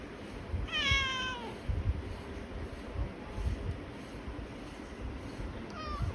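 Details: Pet cat greeting its owner in the morning: one clear meow that slides downward near the start, then a faint short call at the end, over a low background rumble.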